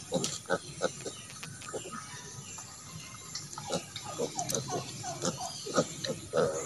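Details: Native pig sow kept with her piglets, raised to develop natural mothering ability: a steady series of short, low, clipped grunts repeated about twice a second, with some farmyard rattle behind.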